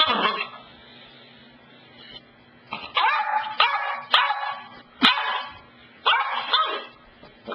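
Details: Cassidy, a pet dog, indoors at the couch, barks in short sharp bursts about once a second after a quiet start, each bark broad and rough, with a faint steady hum underneath.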